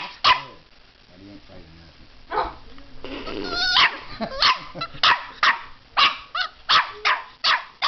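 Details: Puppy barking at a fake alligator head holding its teddy bear; a person talks early on, then sharp barks come in a quick series of about eight in the last four seconds.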